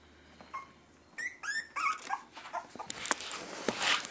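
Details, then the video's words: Three-and-a-half-week-old Miniature Schnauzer puppies make a few short, rising whimpers, followed by rustling and scuffling noises. "Puppy whines and growls"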